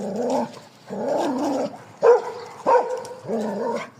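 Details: Street dogs in Thailand met on a morning walk: long low harmonic growls alternate with two sharp barks, the growls lasting about half a second to a second with gaps between.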